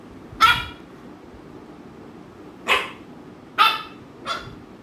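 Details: Ami, an American Bully, bothering housemate Mikku: four short, rough barks in under four seconds, two in quick succession at the end, against a quiet indoor background.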